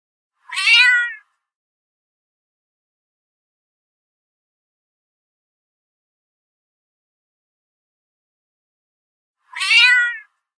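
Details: Domestic cat in a mating context: two short, bright meows about nine seconds apart, each a quick downward-sweeping cry rich in harmonics, with silence between them.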